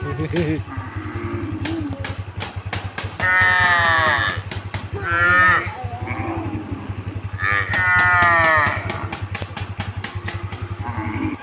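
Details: Cows being herded toward the fields give long, drawn-out moos over a steady engine drone and rapid clicking.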